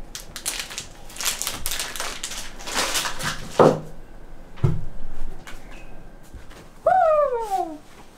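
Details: Female golden retriever reacting to a box of dog biscuits being unboxed: crinkling and tearing packaging noises first, then a thump, and finally a loud, drawn-out whine that slides downward.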